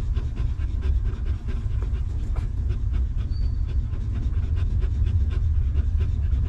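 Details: Panting from a stray mother dog that has just had a litter of puppies; fast, even breaths repeat in a rhythmic train, a faint thin whistle briefly at mid-clip, all over steady low rumble.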